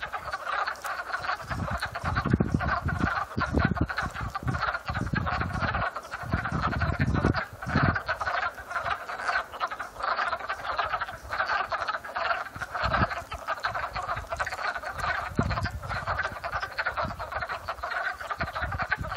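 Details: Frogs calling in a pond in Upstate New York in spring, recorded April 12, 2014 in early afternoon; a dense, continuous chorus of overlapping trilled calls fills the clip, with occasional low rumbling thumps.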